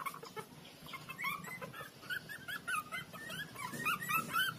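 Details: Young street puppies at play, sucking and biting one another, let out a busy stream of short, high, whiny squeals and whimpers, several each second, bending up and down in pitch against a soft rustling background.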